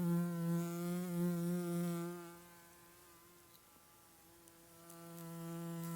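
A bee's steady, low droning buzz, loud at first and then softer as it drifts away.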